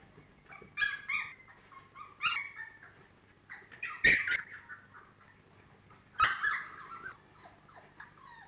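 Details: Four-week-old FCI Labrador Retriever puppies, 28 days old, from the Honey Hany litter, giving several loud, high, wavering whimpers and yelps in short bursts with quiet gaps between them.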